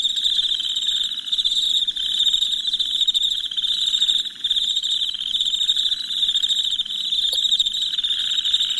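Crickets chirp in a steady, high-pitched chorus at night.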